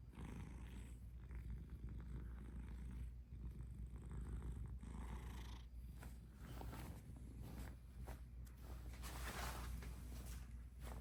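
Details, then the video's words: Domestic cat purring: a steady, low rumbling drone that runs unbroken through the whole recording with a soft pulsing rhythm, overlaid by scattered faint rustles and brief clicking sounds close to the microphone. "Purry Kisses"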